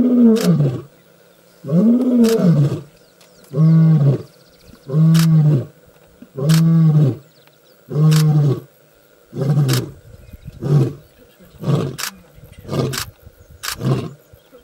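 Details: Young male lion proclaiming his arrival across the African bush: full-throated roars repeated about every second and a half, then shortening into clipped grunts that fade in strength toward the end.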